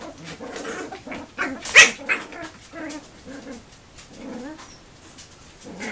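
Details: Tilley x Rigpa puppies in a playful rumble, with Tilley stepping in to referee; high, short yelping barks and whines come in quick bursts, with one loud sharp yelp near the middle and soft scuffling between them.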